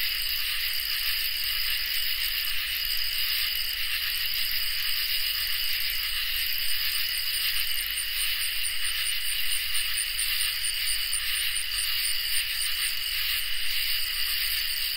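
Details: Summer night chorus of crickets and katydids, a dense continuous trilling in several high layers with faint rapid ticking pulses on top, steady and unbroken throughout.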